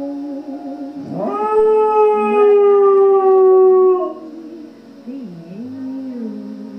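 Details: A Basset Hound gives a long, swelling howl that rises sharply, holds steady, then sinks away, singing along to a song.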